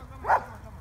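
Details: Border Collie training session with spoken commands: one brief, sharp bark over a low constant background hum.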